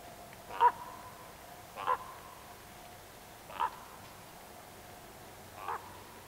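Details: Roe deer in a small herd with young bucks and does, giving four short, rough barks spaced about one to two seconds apart over a quiet background.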